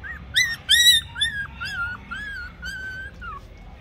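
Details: Toy Pomeranian puppy whimpers from a litter of males and females in Mumbai: a series of about eight high, arched whines, loudest near the start, then gently falling and softening.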